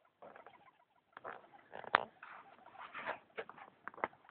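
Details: Female pet hamster at night making unusual noises she never made before: irregular bursts of dry clicking and scratchy patter mixed with short, faint squeaky tones, in quiet indoor surroundings.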